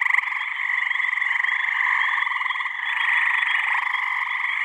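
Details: Springtime mating chorus of gray tree frogs (Hyla versicolor), males trying to attract females in a New Hampshire swamp on a warm May evening. Many overlapping rattling trills blend into one continuous, throbbing chorus.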